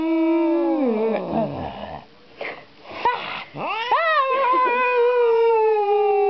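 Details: Female pet cat, angry around strangers, giving long drawn-out yowls that slide downward, then rising and wavering wails held steady toward the end.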